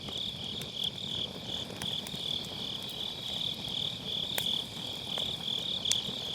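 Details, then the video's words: Grass insects calling on an autumn night by a round fire-pit campfire, MKE600 microphone with low cut; a bright, continuous pulsing trill runs throughout, with scattered sharp cracks of burning wood and low fire rumble. "가을밤 풀벌레 소리"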